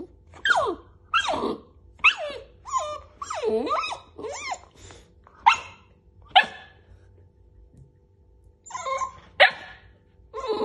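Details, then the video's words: Indoors, a puppy mad that its mother keeps tugging its blanket: a string of squeaky, rising and falling whines, yowls and sharp little barks, roughly one every second, with brief pauses between outbursts. "Adorable puppy gets mad that mom keeps pulling his blanket."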